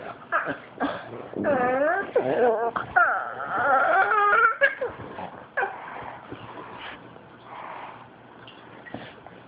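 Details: Teased by black pug Jezzy, fawn pug Gweeb produces funny Wookie-like noises indoors: a run of rising and falling warbling whines and yowls early on, fading into quieter snorts and breaths, recorded on an Android phone.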